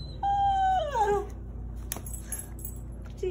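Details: Pet Rat Terrier greeting his owner at a parking lot with one short howl, a steady tone lasting under a second that then slides down sharply, followed by quiet and faint background noise.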